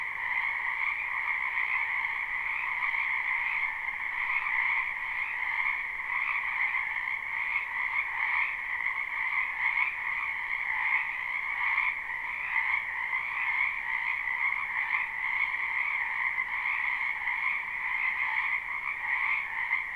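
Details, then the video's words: Frogs croaking in a springtime wetland behind a home, recorded live and not looped: a thick, ceaseless chorus of high trills, with faint rhythmic pulsing and brief swells across the whole stretch, and nothing else audible. "Ambient Noise for Sleep Frogs Black Screen"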